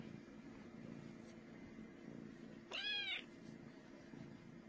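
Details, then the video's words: Domestic cat purring loudly as a steady low rumble, with one short, harmonic-rich meow rising and falling near the end. "purring so loud"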